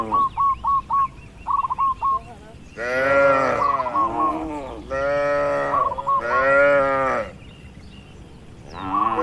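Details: Housed farm cattle: short high chirps repeat in quick bursts at first, then several loud, hoarse moos follow in turn with brief gaps between them.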